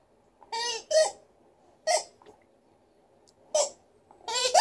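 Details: A good-humoured female Alaskan Malamute named Liza gives a vocal show of four or five short, rich, wavering woo sounds with pauses between them. A faint, brief grunt comes in between.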